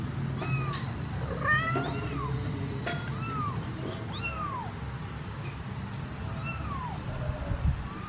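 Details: Mother cat and kitten, the kitten stuck in a cardboard box, meowing to ask a human for help getting it out: clear, arching meows that rise then fall, repeated roughly every second over a low steady hum.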